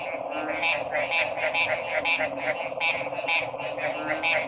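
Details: Several frogs calling at once, rapid pulsed notes overlapping in an uneven, busy rhythm, backed by a steady high hiss and a dense lower drone.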